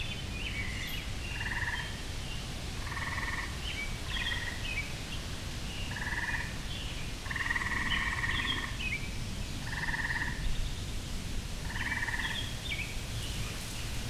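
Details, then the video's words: Springtime tree frog chorus in a backyard: short buzzing trills repeated every second or two, some overlapping, with a longer trill partway through, set against a constant low hum of background noise. "Tree Frog Serenade"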